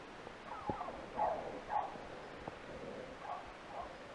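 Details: A distant beagle bays in short, ringing bursts, several per second, while holding a roe deer doe and her kid at bay during a 2016 roe deer hunt, the animals about 30–35 m from the hunter.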